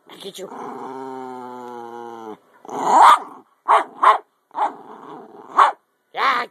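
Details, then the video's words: Topper, a playful 10 lb Jack Russell, lets out one sustained, steady howl lasting about two seconds, followed by several short barky yelps mixed with a woman's teasing voice during a chasing game. "Topper my 10lb Jack Russell Howling & Playing"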